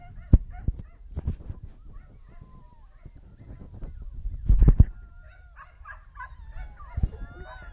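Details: Two-month-old springer spaniel puppies relaxing with game let out thin, high whines that slide up and down and brief squeaky yelps, with dull knocks, thumps and shuffling between the calls.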